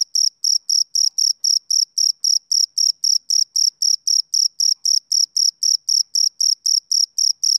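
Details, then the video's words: Continuous shrill chirps from a male cricket, pulsing regularly at about four per second with brief silences between, in an otherwise silent setting. "Cricket Chirping Sound Effect"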